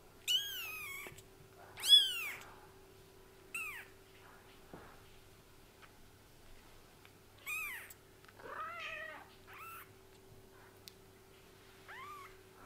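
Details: Kittens with newly opened eyes calling indoors: sharp, high arched mews, some loud and others faint, scattered irregularly, one rougher wavering cry in the middle, over a faint constant electrical hum.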